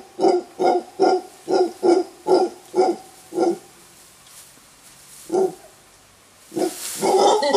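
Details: Alpha male mantled howler monkey giving a warning roar in a Costa Rican bamboo forest, with a large wild clan nearby; deep, gruff barking pulses repeated about twice a second, a pause, then a single bark and a rising rough roar.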